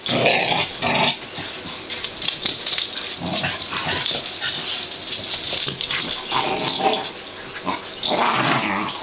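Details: Pug-dachshund mix puppies play fighting indoors, excited after being freed from a blanket; dense rough growls and snarls run continuously with brief yips, the clamour swelling and easing in bursts.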